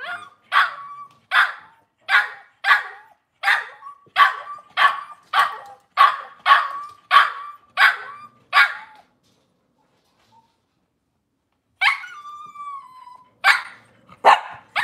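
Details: Indoor Cavalier King Charles Spaniel, kitchen setting, cloudy Monday morning: a fast, steady run of about thirteen sharp barks in nine seconds, a pause, then a drawn-out whine followed by two more barks.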